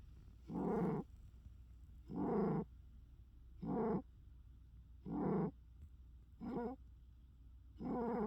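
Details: Umi, a cat, snores furiously: loud, raspy, vibrating bursts repeat about every one and a half seconds against a low steady background hum.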